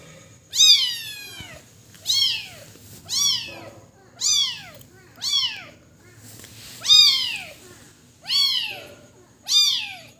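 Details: Kitten crying with loud, clear falling meows, each bending down in pitch, repeated roughly every one to two seconds, eight cries in all, in a quiet indoor setting.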